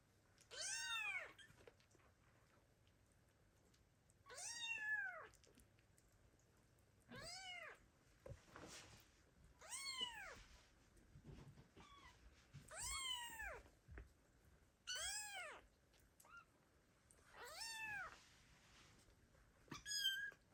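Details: Tiny, underweight kittens abandoned by their mother meow loudly and persistently for her: about eight strong, arching cries roughly every two and a half seconds, with faint clicks and a low hum between them.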